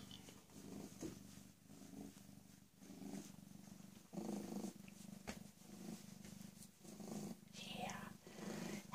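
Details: PeeWee, a rescued female cat about 18 or 19 months old, recently spayed after raising a litter of kittens, purring indoors: a low, pulsing rumble in steady waves, with a person talking softly to her now and then.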